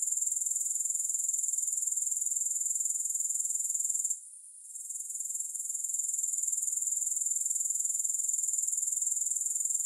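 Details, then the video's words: Grasshoppers trilling nonstop, a thin, piercing, rapidly pulsed buzz kept at one pitch, interrupted by a brief quiet gap midway, then returning at full strength. "3 Hours of Grass Hopper Sounds"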